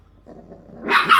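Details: Four English bulldog puppies playing give a soft low murmur, then a sudden sharp yip near the end.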